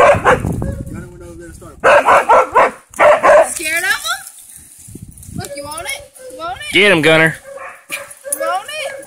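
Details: A Siberian husky trying to play with a hog gives wavering, yodel-like whines and sharp yips, with a person speaking nearby.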